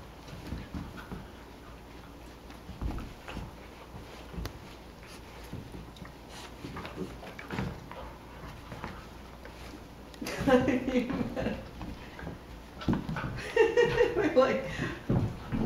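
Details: Sister puppies Ripley and Vasquez, Cocker Spaniel–Basset Hound mix, three months old, wrestle in a small room; long quiet scuffling, then sudden clusters of pitched yelps and whines near the end.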